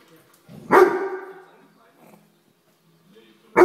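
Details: Weimaraner, a grey dog, scolding a common house fly: one loud, harsh bark with a short tail, then near silence and faint rustling, and a second bark cut off at the very end.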